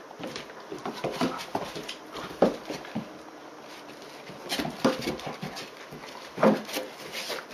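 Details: A young Dobermann, 76 days old, plays roughly with an older female Dobermann, springing at her and nipping. Sharp growl-like yelps break out at intervals amid steady shuffling and bumping sounds.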